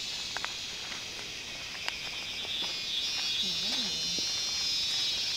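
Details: Cicada season on Koh Samui, with a loud, continuous, high-pitched buzzing chorus that swells slightly in the second half. A short low murmur of human voice and a few faint ticks sound underneath.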